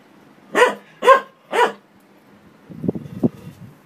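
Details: Three quick loud barks from a dog confronting a washing machine, followed by a low rumbling, clattering sound from the appliance.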